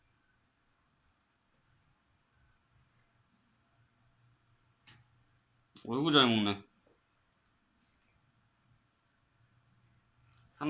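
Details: Crickets offered as food to a pet leopard gecko chirp indoors in a regular, shrill pulse about twice a second. Midway, a brief human voice cuts in, then the chirping carries on.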